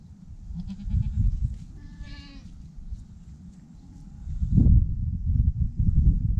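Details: Newborn goat kid, the first born this year: one short, nasal, wavering bleat near the two-second mark, rising slightly then fading, over steady low rumbling handling noise and a thump near the end.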